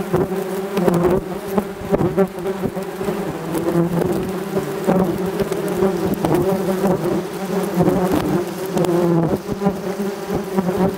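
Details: Swarm of yellowjackets from a ground nest attacking a camera set up to record their flights, stinging it hundreds of times: a dense, loud, continuous droning buzz of many wasps, with wingbeats and bodies thudding and tapping against the equipment.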